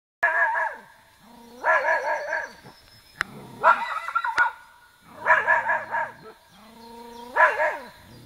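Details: Two Irish terriers giving loud, rising-and-falling yelping barks in four separate bursts, each bark burst led by a low, steady droning whine. There are short pauses between the bursts.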